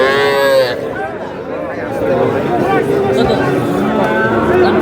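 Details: Young cattle at a livestock market visited by a Dhaka farmer buying small bull and heifer calves; one clear moo at the start, then people bargaining and crowd noise.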